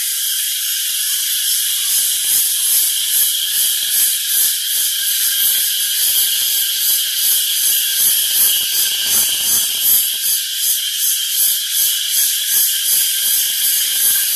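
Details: A dense chorus of crickets chirping near Lingamala Waterfall, Mahabaleshwar, Maharashtra, a steady high shimmer of overlapping pulses.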